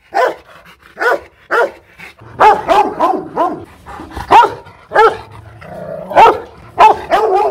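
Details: Fierce Rottweiler barking at a Hanoi kennel in Vietnam: three separate deep barks open, then a denser run of overlapping barks with lower rumbling tones beneath, loud and irregularly spaced.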